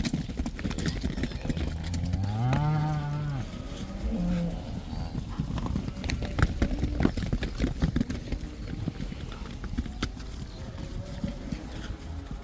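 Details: Netherlands cattle returning to pasture in the cow dance: one clear, wavering moo near the start followed by a shorter second low call, then sharp clattering knocks and thuds from the moving animals.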